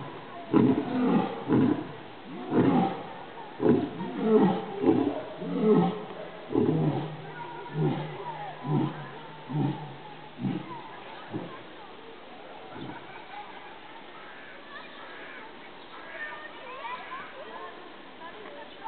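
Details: Lions at Lešná zoo in Zlín, Czech Republic: a lion (Panthera leo) roars, deep, full moans giving way to a run of shorter grunts that fade out.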